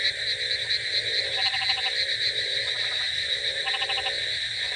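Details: Chorus of frogs on a rainy night, with bursts of rapid rattling croaks standing out about every second against a continuous high droning hum and steady hiss.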